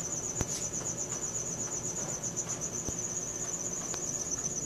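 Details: Cricket chirping at night, recorded on a Samsung Galaxy S4: a steady high-pitched pulsing trill, rapid even pulses running without a break, with a few faint clicks and a low background hum.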